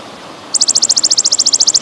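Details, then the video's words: Golden grasshopper, pausing style, for training songbirds alongside trickling water: after half a second of faint hiss, a quick burst of about seventeen sharp, slightly downslurred high ticks races by at a steady rhythm. "Suara Belalang Emas Jeda dan Gemericik Air"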